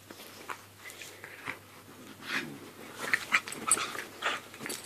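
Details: Staffordshire Bull Terrier versus Jack Russell Terrier at play: scrappy, breathy snorts and thin whimpering squeaks that build into a denser flurry toward the end, mixed with scuffles.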